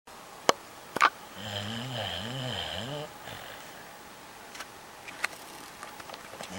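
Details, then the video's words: Liu, a pet dog, snoring while asleep at night: one drawn-out rasping snore wavering up and down in pitch for about two seconds, with a couple of sharp clicks before it and faint taps afterwards in a quiet room. "My Dog Snoring away the whole night"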